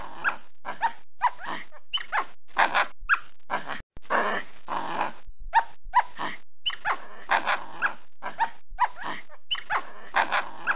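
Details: Recorded in a tree, a capuchin monkey chatters in quick strings of harsh, squealing chirps with rising inflections, broken by one short silent gap near the four-second mark.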